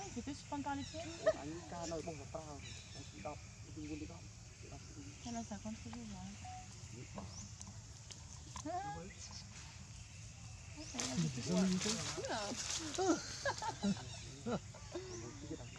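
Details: Abandoned monkey crying very loud: a long run of wavering, quavering cries rising and falling in quick succession, some drawn-out and shaky, growing louder and harsher near the end over a steady low hum.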